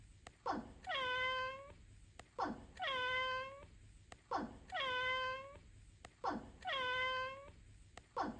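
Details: A pet domestic cat meows over and over, each call a drawn-out, falling-then-level wail.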